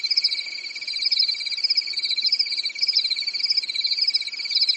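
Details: Crickets at night during a calm European summer, producing a constant high, buzzy trill of fast pulses with gently swelling loudness, nothing else audible.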